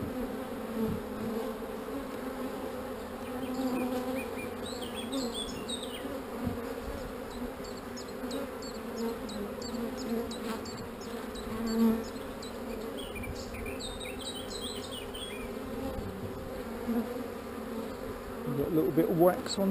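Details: Calm honey bees droning steadily at a hive during an inspection of queen cells and wax; an even low buzz holds for the whole stretch, with light high clicks and a soft handling noise near the end.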